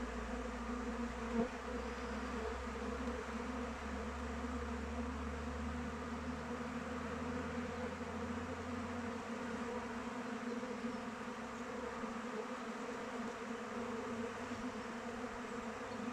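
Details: Continuous hum of honey bees flying about a hive in open weather, steady buzzing tones, a low rumbling drone beneath during the first half that fades away.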